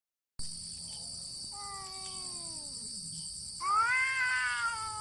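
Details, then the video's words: Two cats fighting without touching, only meowing: after a quiet start, long drawn-out yowls slide slowly downward. A louder, rising-then-falling wail comes near the end. A steady high-pitched hiss runs throughout. "Cats Fighting with sound"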